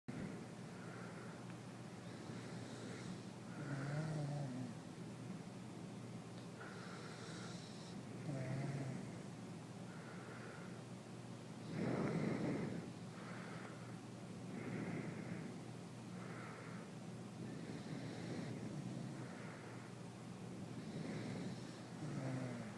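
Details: A corgi asleep on its owner's bed snores in low, rumbling, rasping breaths that swell and fade at irregular intervals, with a few louder snorts among gentler wheezes. It usually snores even louder.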